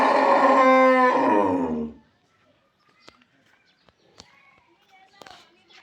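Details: Calf, just 14 days old and bred by artificial insemination, lets out a loud, harmonic bawl for nearly two seconds. The bawl drops in pitch and fades at the end, then only faint clicks and handling noises follow.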